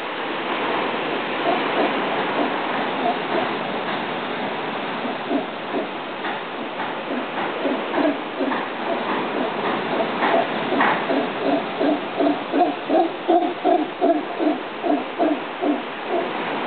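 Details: Howler monkey sound: a low, rumbling background roar gives way to a series of guttural rhythmic grunts, about two to three per second, growing louder and steadier toward the end.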